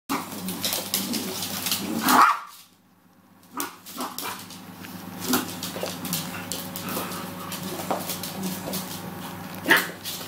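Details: Maltese puppy and cockapoo dog playing together indoors; short sharp yelps and barks, loudest bursts near the start and end, over constant rustling and scuffling of play with a steady low hum.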